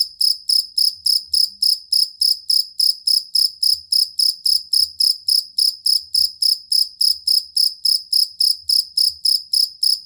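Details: Jangkrik kalung or fighting cricket chirp, kept as a master song for training competition songbirds: steady, very high-pitched pulsed chirps, about three and a half per second, over a faint low rumble.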